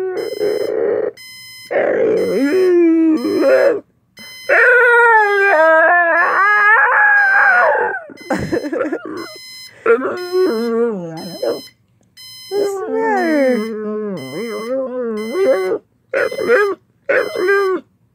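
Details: Pit bull Jäger howling at a ringing alarm clock: a run of expressive, yodelling howls and whines that swoop up and down in pitch, separated by short gaps, with the alarm's repeated high beeps sounding behind.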